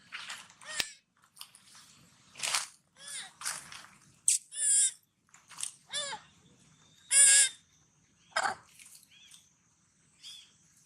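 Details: Sad cries from hungry baby monkey Sweetpea, calling for its mother: a series of short, high, harmonic squeals, some bending up and down, separated by pauses and soft chewing sounds while eating watermelon.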